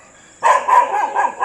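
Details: Domestic dog near Jim Corbett National Park, India, barking at about 4 pm while facing the jungle ahead after something moved in the bushes; a quiet start, then loud, rough barks in quick succession over a faint steady high insect-like hiss.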